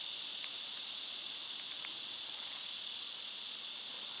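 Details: Cicadas in summer chorus as a loud, unbroken high buzzing drone that holds steady throughout, with a few faint short ticks underneath.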